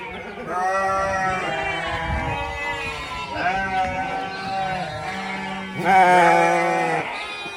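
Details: Goat family of kid, nanny and billy on a farm, bleating almost nonstop: overlapping quavering, nasal calls from more than one animal, rising to a loud, strained bleat near the end.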